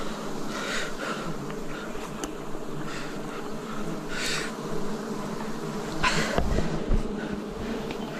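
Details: Wild bees keep up a dense, steady buzzing at a 2026 forest honey harvest, with soft puffs of noise and a heavier burst of handling sound toward the end.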